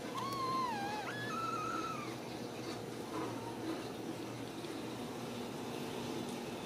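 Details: A Ragdoll kitten raised indoors at a central Kansas cattery gives one clear, drawn-out meow that dips and then rises into a level, strained tone. Faint soft mews follow over low room hum.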